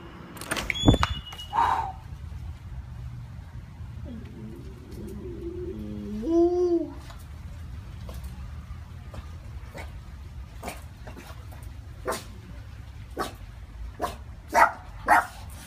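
A frightened Boston Terrier gives a brief, wavering high whine among sharp knocks and clicks.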